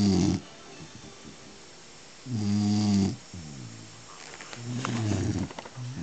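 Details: Sleeping Beagle snoring: three slow bursts of deep, rumbling, layered snores, each lasting under a second, separated by quieter breathing gaps.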